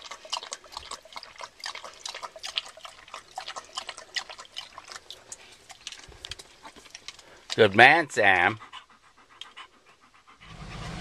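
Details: Black German Shepherd dog breathing in quick, steady panting puffs, then giving two loud, wavering whine-like cries close together before the panting resumes; human voices faintly present.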